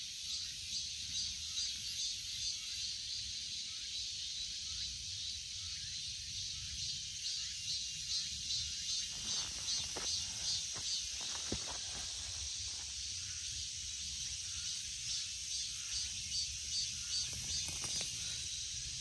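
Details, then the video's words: Cicadas keep up a dense, high, hissing drone with a fast pulsing texture; a few brief clicks and knocks from nearby break in midway. "Cicada 매미"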